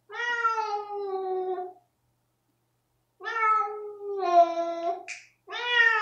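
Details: ['House cat Rosetta protesting a veterinary flea pipette treatment: long, steady, moaning meows of nearly two seconds each, rich in harmonics, separated by a silent gap, with a short hiss-like burst near the end.']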